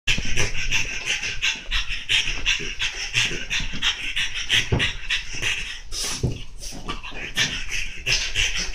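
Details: French Bulldog rampaging on a chair, panting hard in rapid, harsh, breathy bursts about three per second, continuous and noisy throughout the stretch.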